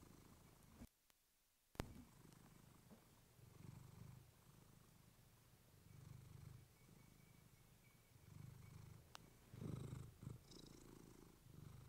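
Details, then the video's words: Pet cat Clementine purring against a fluffy microphone to soothe listeners to sleep; steady low purr in pulsing breath cycles, broken by a brief silence and sharp clicks near the start and a louder rustle near the end. "Cat purring you to sleep with fluffy mic"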